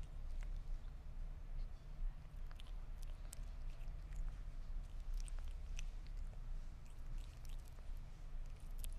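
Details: Sphynx cat eating meat: soft, irregular wet chewing clicks and small bites scattered through the clip, some in quick bursts, over a steady low rumble.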